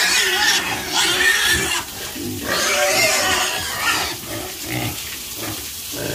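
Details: Pigs making loud, harsh squealing and grunting sounds, with dense noisy bursts that dip briefly near the two-second mark and then continue.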